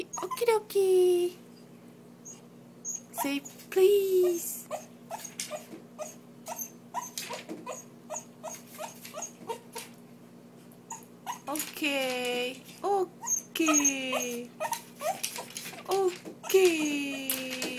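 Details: A female Lhasa Apso whines in high, falling whimpers, begging to be let out, while a person talks.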